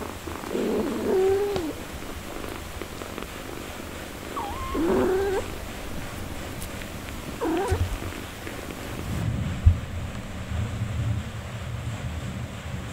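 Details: Mother cat caring for her four-day-old kittens, giving three short wavering meows spaced a few seconds apart over a low steady rumble, then quieter low sounds near the end.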